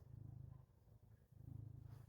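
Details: House cat waking its owner with a deep, rumbling purr, loud and pulsing, pausing briefly for a breath midway, then resuming just as strongly.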